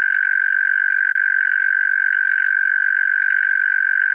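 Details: Unbroken churring trill of a European mole cricket, Pabing, Austria, 31 May 2021, holding a steady pitch and loudness for the whole stretch, with only a tiny flicker about a second in.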